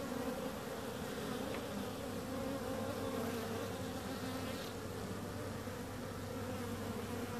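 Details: Dense, unbroken humming of bees, a thick low drone with a faint steady lower hum beneath, even in loudness throughout.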